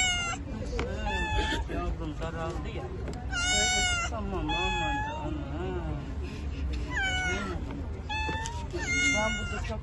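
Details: Turkish Van cat among feral cats cared for by a spay and neuter group, giving a series of loud, drawn-out, wavering meows, about five over ten seconds, some rising then falling, with Turkish speech talking underneath.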